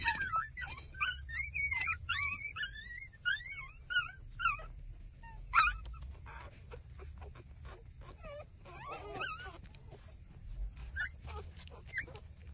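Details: Six-day-old street-dog puppies trembling as they suckle from their mother, giving high, wavering whimpers and squeaks that rise and fall in quick bursts through the first five seconds, then scattered softer squeals with low rustling underneath.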